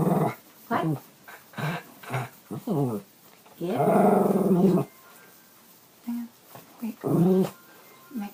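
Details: A pet Bichon Frise bitch holding a 'conversation' with her owner indoors, iPhone 5 recording: a long, undulating groan-like vocalization near the middle and a shorter one later, among the owner's brief spoken replies.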